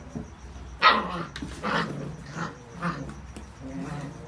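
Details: Seven-week-old whippet puppies playing with a new box indoors; a sharp yelping bark rings out near the start, followed by softer grunting and growly play noises in a quiet room.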